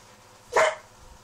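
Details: A single short, sharp bark bursts out and fades within a fraction of a second as a pet Husky and a mixed-breed dog hold a noisy vocal exchange indoors, a hidden Labrador nearby.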